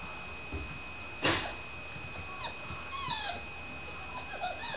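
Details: Four-week-old Blue Fairy Otterhound puppies playing in a living room in November 2007: soft high whimpers and squeaky yips scattered through, with one louder squeal, over a steady background hum.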